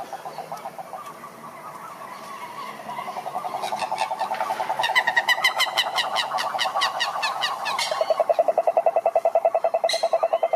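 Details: Several frogs calling together in a pond, a dense chorus of rapid pulsed croaks around the middle pitch range, swelling louder midway, with sharper clicking trills from other callers layered above and a fast regular pulsing toward the end.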